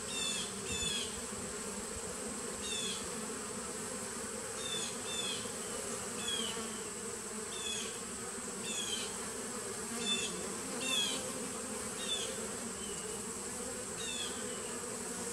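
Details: Honey bee nuc colony from 2017, recorded 19 September 2018: a constant low droning buzz underneath, overlaid by short high chirps from another bird repeated every second or two.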